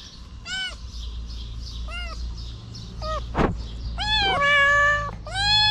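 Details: Stray kitten living on the street, standing on its hind legs and licking fingers, gives short, thin rising-falling meows, then a soft thump, followed by longer, louder drawn-out meows near the end.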